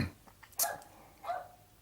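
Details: Two next-door Fox Terriers bark at night across a fence between townhouse yards, giving two sharp, bright yaps about half a second apart, part of their constant, persistent barking.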